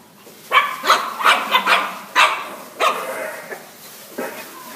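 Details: Shih Tzu barking: a string of sharp, yappy barks in quick succession, several close together and then spaced out, the last few softer and shorter, in a quiet room.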